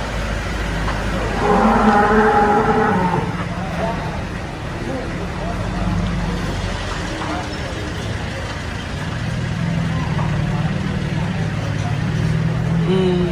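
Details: Jumbo cattle at the Sibreh animal market in Aceh Besar, Indonesia: one moo of about a second and a half early on, then low rumbling, engine noise and voices fill the rest.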